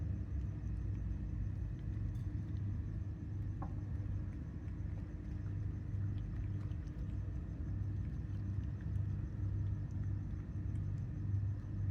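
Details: A steady low rumble of passing road traffic continues throughout, with no animal calls.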